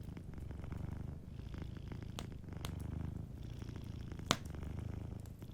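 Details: Low, continuous purr from a sleeping cat, rising and easing in rhythmic breathing waves, while a warm fireplace snaps occasionally with one loud pop near the end.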